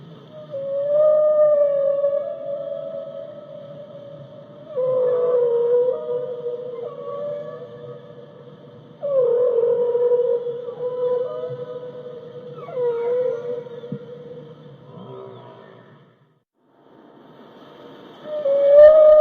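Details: Whale calling in long, sustained moaning tones with rich overtones, delivered in several drawn-out phrases that waver and bend, with a short silent gap before a final rising moan.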